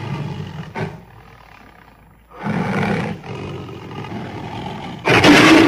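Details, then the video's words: Tiger giving a short low roar, then a longer deep roaring burst after a pause, ending in a sudden loud broad rasping blast. "tiger sounds"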